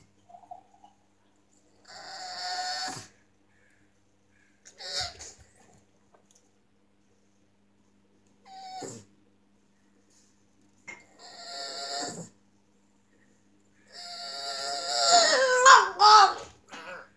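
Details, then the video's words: A deaf pug whining in a series of short, wavering, nasal cries that come in bursts with silent gaps, the last burst longest and loudest with pitch bending up and down. "Lulu pug and the art of whining"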